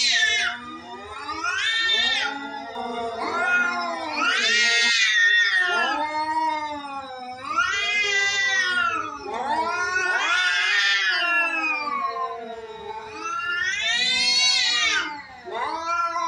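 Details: Cats in a fight, yowling continuously; loud, rich, wavering wails rising sharply and sliding back down, several in a row with almost no pause, the pitch climbing and breaking at each peak.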